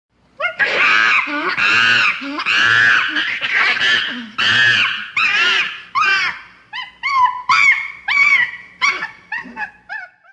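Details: Chimpanzee. A chimpanzee gives a series of loud, raspy screams, each rising then falling in pitch. Toward the end the shrieks turn shorter, thinner and more wavering, like piercing squeals.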